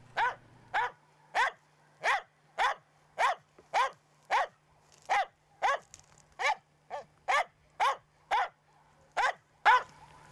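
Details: Finnish Spitz giving its bird-hunting bark, which must be dense and carrying and partly masks the hunter's approach: sixteen sharp, ringing barks at an even rhythm over about ten seconds, with a low steady hum underneath.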